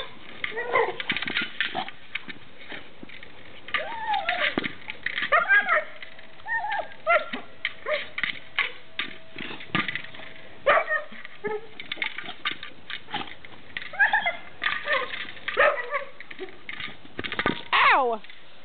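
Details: Gage, a pet dog, playing indoors with his favourite toy, a Jolly Ball: high, bending whines and yelps rise and fall in short bursts, with a long steady whine midway, over clattering toy sounds and a person talking.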